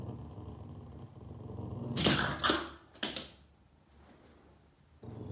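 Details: Yoda the Boston Terrier growling while upset at shadows he chases on a wall indoors; a steady low throaty rumble runs for two seconds before clattering bursts and scuffs, then quiet room noise.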